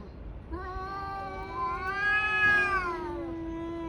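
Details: A tabby cat yowls during a fight with another tabby, one sustained moaning wail that holds steady, swells slightly in the middle, then eases lower at the end.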